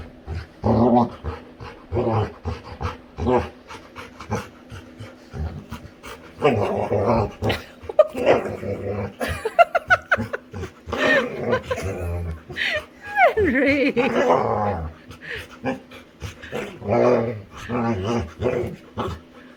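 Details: Pet Labrador retriever, a female, playing with her human: dense runs of grumbling growls and grunts with some whiny, rising tones, while a person's voice is heard at times.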